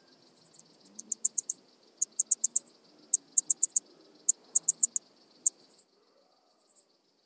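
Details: Alpine saw bush-cricket (Barbitistes obtusus) recorded near Brixen, Italy, on 11 September 2022 with an ultrasound detector: high, dry clicking syllables in irregular bursts of two to seven pulses, pausing briefly between groups, over faint low background noise.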